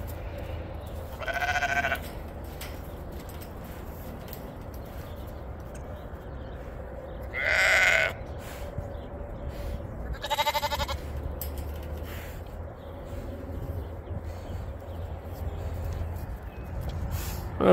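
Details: Homestead sheep being loaded as the snow begins to melt; three separate harmonic bleats spaced several seconds apart, the middle one loudest, with low background hum between them.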